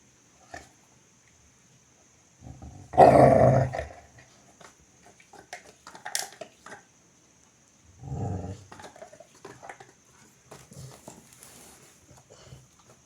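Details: Labrador Retriever letting out a loud, rough growling burst about three seconds in, followed by a lower, shorter grumble near eight seconds, with soft rustling and a faint steady high hiss in the background.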